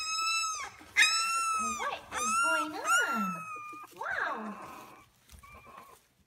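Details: British Labrador Retriever puppy, two weeks old, from a six-pup litter born May 7, 2016, gives long drawn high whines that bend down at the end, then softer sliding squeaks fading to near silence.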